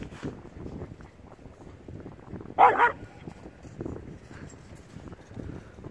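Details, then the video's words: Sky, a Samoyed dog, playing; one short loud bark bursts out midway, surrounded by quiet rustling and soft thumps of play, with faint low voices in the background. "Cute samoyed dog - Sky the samoyed"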